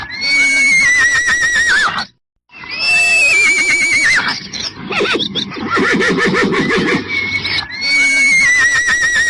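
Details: Horse (Equus caballus), neigh.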